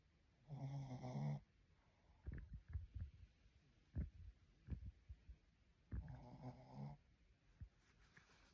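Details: Shih Tzu asleep, giving two long, grating snores about five seconds apart, separated by a run of short snorting breaths and sniffs.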